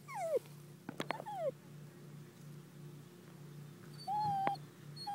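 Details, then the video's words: A dachshund barking in high, falling whine-like yelps, two quick sliding cries near the start with sharp clicks between, then a longer steady whine followed by a short cut-off yip. "Dachshund Lucie Barking"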